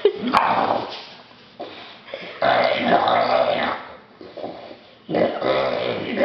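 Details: A male English Bulldog, happy about his new toy, makes throaty, snorting grunts and whines in excited bursts while a person speaks; English Bulldog.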